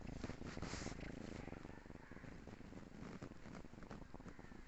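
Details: Sleeping female kitten snoring softly, a low, dense rumbling texture with fast, steady pulsing breaths throughout, recorded close and quiet with faint background hiss.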